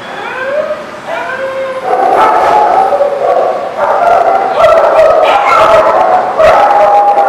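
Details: Several dogs calling together, with overlapping drawn-out tonal howls that slide up and down, mixed with sharp yips and barks, growing louder and denser after the first two seconds.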